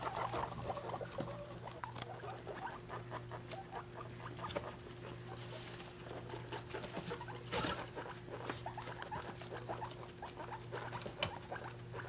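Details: Three-week-old guinea pig babies with their mother, weighed during their last days together as a family; soft scattered squeaks and chirps over steady pattering and rustling of small feet, with a constant low hum behind.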